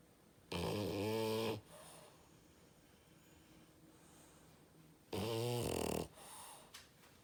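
A French Bulldog snores loudly, with two long rattling, rumbling breaths about four seconds apart.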